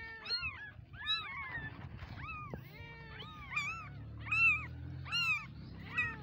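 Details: Baby kittens meowing: several high, harmonic, arching mews overlap and follow one another quickly, some rising then falling, with a short gap near the middle and a low background hum.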